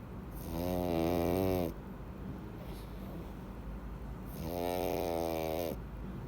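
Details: Sleeping pug called Louis, full from eating treats, snores heavily: two drawn-out vibrating inhalations about four seconds apart, rough and nasal with a hissing edge, soft steady breathing noise between them indoors.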